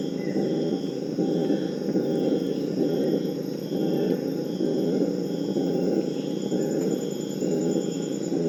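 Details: Purus red howler monkeys (Alouatta puruensis) in the Amazon give a morning chorus starting around 4 am, recorded in 2019. They roar in a deep, rasping chorus that swells and ebbs without pause, calls thought to prevent fights between groups.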